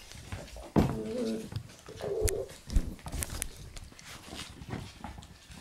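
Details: A male red Shiba Inu puppy, born on September 7, gives a low, harmonic whimper near the start and a shorter nasal whine about a second later, indoors with light tapping and faint room noise.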